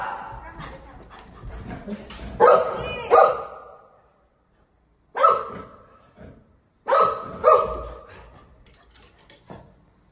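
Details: Family golden retriever Buzo lunging at a family member indoors. Voices and household clatter open the clip, then come pairs of sharp barks separated by a silent pause, ending with a final quieter yip.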